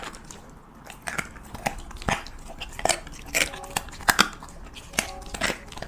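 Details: Siberian Husky eating cheese meat in a close-up mukbang-style recording: sharp crunchy bites and wet chewing clicks come irregularly, roughly once a second, over a quiet background with a few faint tonal squeaks between bites.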